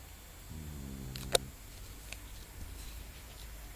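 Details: Lola, a sleeping Shar Pei dog, gives a single low, buzzy snore lasting about a second, followed by a sharp click and quiet room hiss.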